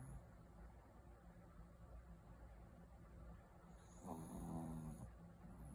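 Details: Sleeping white Pekingese dog gives faint, low, rasping snores in a steady breathing rhythm, joined near the end by a short louder passage with a high whine above.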